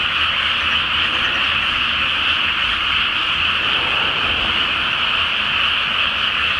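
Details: Frogs in a loud night chorus over a flooded rice field before planting, under a full Flower Moon; a dense, continuous croaking wall with no breaks, and a faint low rumble underneath.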